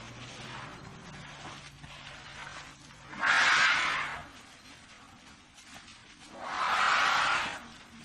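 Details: Two loud, noisy trumpet blasts from an African elephant, each about a second long and a few seconds apart, over a steady hiss and a faint low hum.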